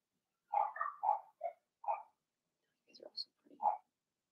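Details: Litter of six Blenheim Cavalier King Charles Spaniel puppies in an indoor pen; a rapid run of five squeaky whimpering yips, a short pause, then softer rough muttering sounds and one final yip.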